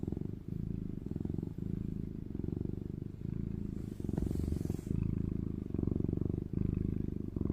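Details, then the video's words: Sleeping house cat named Eomji, whiskers being touched, snoring and purring: a low, steady rumbling buzz broken into breaths roughly every second, with faint rustling. "고양이는 코골이 조차 귀여워요ㅣASMR골골송"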